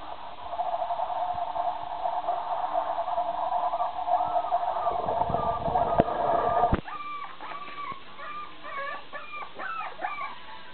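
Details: Puppies 27 days old, excited in a bigger new play area. A steady hiss and rumble fill the opening seconds, then a faint series of short, high, squeaky whimpers and yips comes in quick succession.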